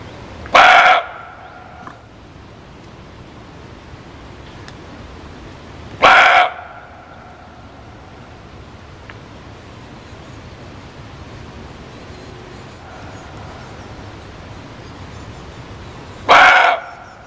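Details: Kijang, the muntjac deer, barking three times at uneven gaps of roughly five and ten seconds; each bark is an abrupt, hoarse, bright yelp, with faint low hiss between calls.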